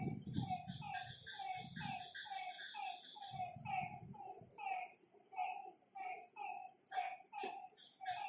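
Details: Night frog chorus at a lakeside, with harmonic croaks pulsing about once a second against a continuous high insect hum. Deep low thuds interrupt early on, then the calls continue alone.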